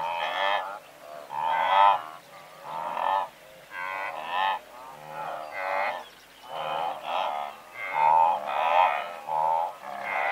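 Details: Blue wildebeest calling from a herd of several hundred, medium-close: overlapping nasal honking grunts in bursts roughly every second, many animals layered at once, larks singing faintly in the background.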